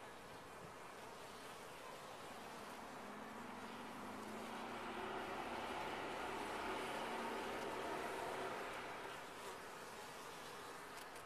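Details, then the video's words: Bees inside a top-bar hive make a dense, steady hum of many wingbeats, with wavering drone tones that swell louder near the middle and then ease off again. "Bees in a topbar hive"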